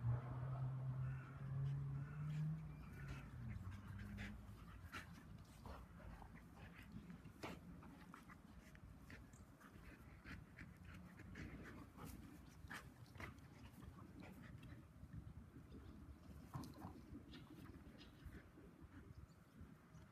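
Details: Labradoodle and a 10-week-old Bernese Mountain Dog puppy playing together with a rope toy: low, rumbling play growls with panting, soft whimpers and scuffling, steady throughout.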